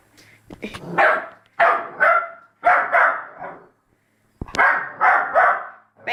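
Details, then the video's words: Labrador Retriever puppy barking at its own reflection: bursts of sharp, harmonic barks in quick pairs and triplets with short pauses, a person speaking softly between them. "Cute labrador puppy barking at reflection"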